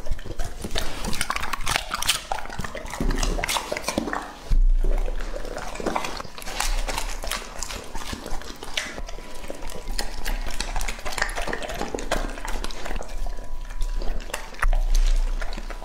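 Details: Lucky, a two-and-a-half-year-old male English-type Labrador Retriever, eating in a close-miked ASMR feeding session with peach, baby corn and berries. Dense crunchy chewing and wet clicks run throughout, with a short pause near the middle and a faint steady tone.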